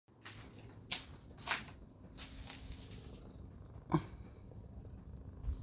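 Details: Black cat named Pudding purring on a cushion outside, a low steady rumble under soft background noise, with a few brief clicks and rustles.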